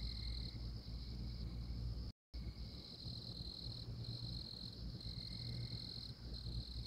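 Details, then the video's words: Tree frog from Oklahoma producing bright, high trills in bursts of about a second, one after another, beneath a loud, steady insect buzz and low-frequency rumble, with a brief dropout. "Tree Frog"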